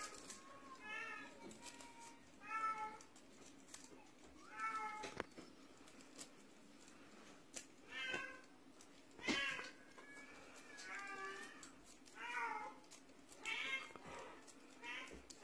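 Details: Russian Blue cat meowing over and over, about eight clear harmonic meows spaced one to two seconds apart, each bending up then down, with a steady low hum and occasional sharp taps in between.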